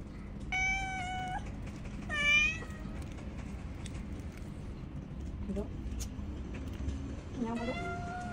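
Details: A hungry cat asking for food with melodious, drawn-out meows: a long level call, a shorter bent one, then a rising meow near the end, over constant background rumble and hiss.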